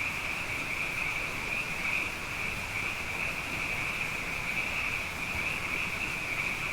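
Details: Abundant frogs calling at night after two wet years in a row: a dense, steady chorus forming an unbroken shimmering high trill band, with faint low rumble beneath and no pauses.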